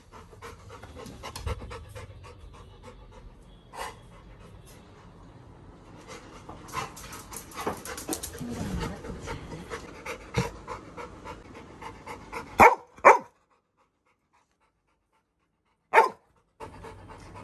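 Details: Labrador Retriever puppy Little John, dressed up as an elephant for Vinayakar Chaturthi, breathes in soft, irregular pants that build in the middle, followed by a few sharp clicks and knocks separated by brief silences.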